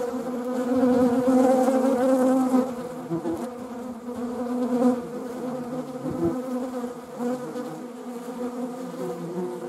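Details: Buzzing of honeybees, with wasps also present: a dense, steady hum that is loudest in the first few seconds, then softer and more uneven, with short flickers as insects pass close.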